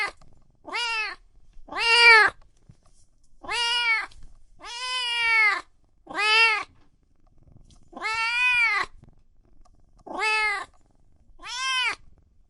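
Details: Cats and kittens meowing loudly, a steady series of eight clear meows about every one and a half seconds, each arching up and down in pitch, some short and some drawn out, with quiet gaps between.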